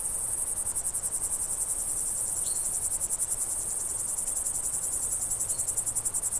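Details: Summer crickets in the countryside keep up a fast, evenly pulsed high chirping, while two faint short bird calls sound in the distance.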